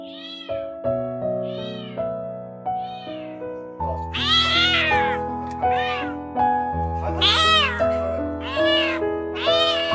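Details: A kitten of about two months, trapped for over ten days in an empty upstairs house, cries for help with repeated high, arching meows over steady background music; neighbours had thought it might be in heat.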